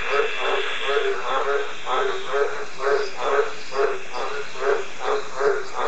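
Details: Green tree frog giving a steady series of short, nasal croaks, about two per second, each a low honking pulse, with a faint constant high hum behind.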